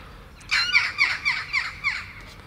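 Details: Baby kittens taken outside for their first meal of cat food pate; a quick series of six high, downward-sliding mews, about four per second, then quiet.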